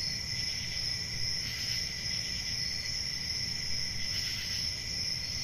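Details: High, constant cricket trilling fills a summer night in the forest, layered with a softer lower chirp and gentle swells every few seconds above a muted low background hum.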